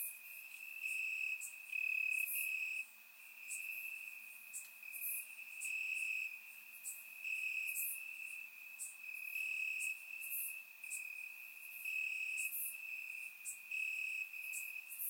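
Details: Crickets chirping in grass on a warm summer night in Bulgaria, captured with a surround microphone: a steady high-pitched trill runs throughout, with brighter, faster pulsing chirps from other insects layered on top.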